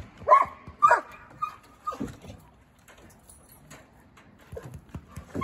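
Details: Talkative six-month-old Treeing Walker Coonhound puppy named Eeyore, 85 pounds, settling into a new home; two loud ringing tonal barks in quick succession, then softer woofs and grumbles trailing off, with light indoor background noise.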